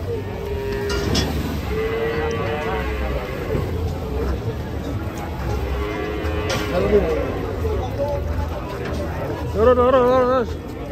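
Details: Sacrificial cow rampaging as it is unloaded from a truck: short low moos early on, then a loud, wavering, drawn-out moo near the end, over a steady low rumble with faint voices and music.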